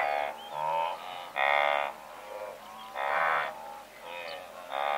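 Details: Several hundred blue wildebeest in a herd give loud nasal honks, each lasting about half a second, spaced unevenly with quieter grunts between them and a faint bird whistle above.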